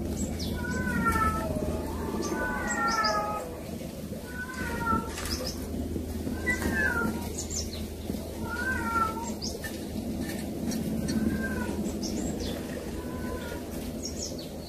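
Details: Baby kittens visited by older sibling cats; thin, high mews with bright overtones repeat in quick clusters, often several overlapping, then pause and resume, over a constant low background hum.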